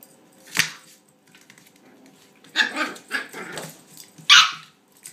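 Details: Toy Australian Shepherd puppy, female, barking at her bone indoors: a sharp single bark, then a short cluster of yappy barks around the middle and a loud high bark near the end.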